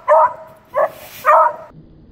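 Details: A Beagle puppy, seemingly afraid of a broom, barks at it with three high, yappy barks, the last one longer and drawn out.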